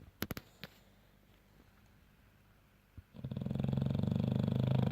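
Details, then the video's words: A French bulldog snores. After about three seconds of near quiet with a few clicks, a loud, low, rattling snore builds and holds to the end. "French bulldog snoring"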